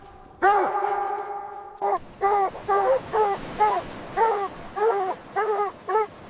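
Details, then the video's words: Puppies playing with baby rabbits outdoors on green grass give one long drawn-out whining note, then a run of about ten short, tonal yapping barks spaced roughly half a second apart against a quiet background. "Dog barking sounds"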